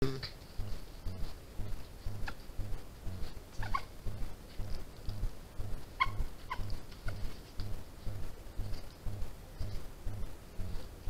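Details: A European badger (Meles meles) cub, filmed by a trail camera on 16 June 2021, gives soft, low pulsing sounds about once a second, with brief high squeaks.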